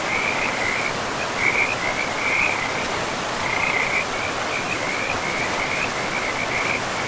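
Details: A frog chorus by a forest river among trees and moss: bright, shrill trills in clustered bursts, with a brief lull near the middle before the calling resumes, all over constant rushing water.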